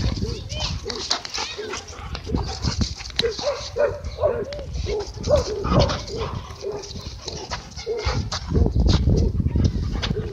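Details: A large group of dogs running and playing at a dog park on a Friday evening; short mid-pitched barks come in quick bursts, several per second, over people talking and busy park noise.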